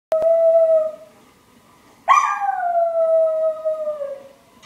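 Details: Pet dog howling at an answering machine, indoors. A short steady electronic-sounding tone opens, then after a pause comes one long howl that breaks in high and slowly slides lower over about two and a half seconds, ending in a wavering tail.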